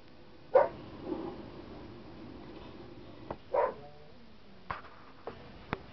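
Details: A pet German Shepherd reacts to recorded dog barking with two short barks about three seconds apart. Several sharp clicks or knocks follow in a quiet room.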